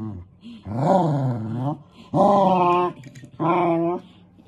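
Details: Pembroke Welsh corgi puppies in a compilation; three drawn-out, harmonic vocalisations with a wavering, howl-like growl, each lasting about a second with short pauses between, indoors.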